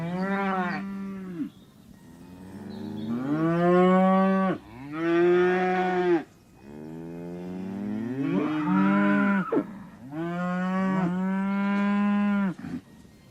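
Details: Cow mooing in a farm animal compilation: a series of long, deep, drawn-out moos with rich harmonics, some rising then falling, about five calls in succession separated by short pauses.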